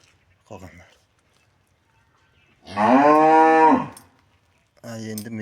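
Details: Cattle being treated by a vet removing metal objects from its stomach; one loud harmonic moo of about a second, with brief faint sounds before and a second call starting at the end.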